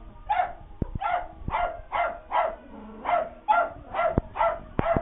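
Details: Puppies scared of a Halloween prop give a steady run of small, moderate barks, roughly two per second, with faint clicks and taps between them.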